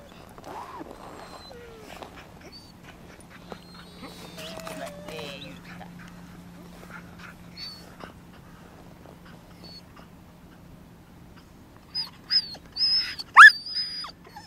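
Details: Lagotto Romagnolo Max, a 2-year-4-month-old dog in Helsinki, Finland, shows off the breed's active nature. Short whimpers appear early on, then a burst of sharp, high yelps near the end over a quiet, steady hum.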